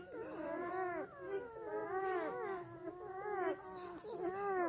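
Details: Several black German Shepherd puppies nursing on their mother while she sleeps give layered, quavering whines, rising and falling cries tumbling over one another roughly once a second, steady and insistent throughout.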